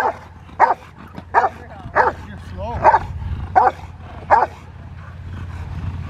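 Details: Rottweiler in Schutzhund protection training giving loud, deep, evenly spaced barks, seven in about five seconds, with a brief human voice between barks and low background rumble.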